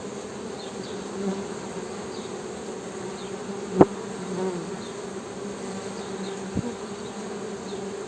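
Honey bees give a steady, low droning hum, with a couple of sharp clicks breaking through.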